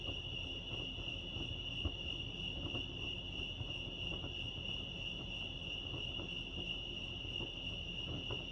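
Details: Lake Arrowhead crickets in California, chirping together as one continuous high, ringing trill without pauses, its pitch never shifting, set against a soft low hum and a few faint taps.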